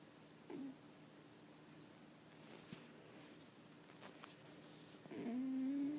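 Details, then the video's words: Snoring pet dog Samson, asleep inside, making an odd noise. A tiny squeak early on, then after a quiet stretch with faint clicks, a longer whistled hum that dips, then holds a level tone to the end. "Samson my dog snoring caught on camera"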